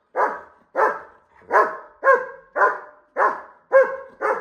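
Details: German Shepherd dog barking as it wants to fight a bull; loud, harsh barks repeated about every half second, eight in a row, with no other clear sounds.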